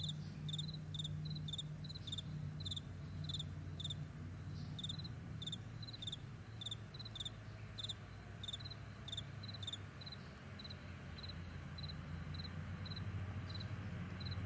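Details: Chorus of crickets across a broad meadow at morning, thin high chirps in quick pulsed bursts, irregularly spaced and thinning out toward the end, set against a heavy low rumble.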